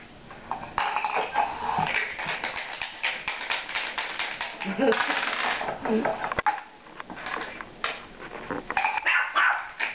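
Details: A female Miniature Pinscher meeting two Maine Coon cats gives sharp, high barks and yappy vocal bursts, "talking up a storm," while a woman tells her not to bark.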